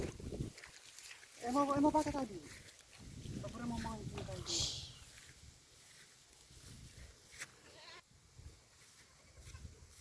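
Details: Goats being taken out to graze on September 24, 2025; two wavering, tremulous bleats with stacked tones near two and four seconds, then quieter rustling, faint voices and background noise.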